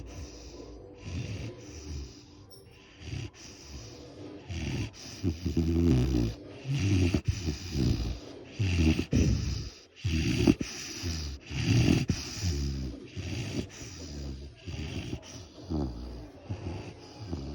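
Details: Great Dane (Canis lupus familiaris), snoring.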